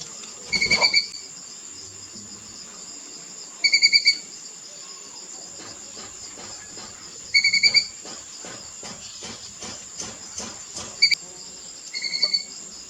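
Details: A young squirrel chatters in brief, high, rapidly pulsed bursts of sharp chirps, repeated every three to four seconds, over a constant high insect drone.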